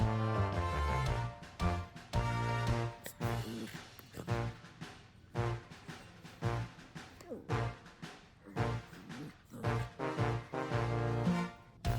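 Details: Upbeat background music with a steady drum beat plays throughout, with no animal sound.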